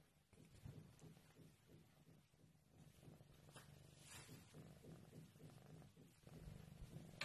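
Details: Maine Coon cat purring indoors: a continuous low, rumbling purr with a steady pulsing rhythm, plus a few soft rustles and handling noises.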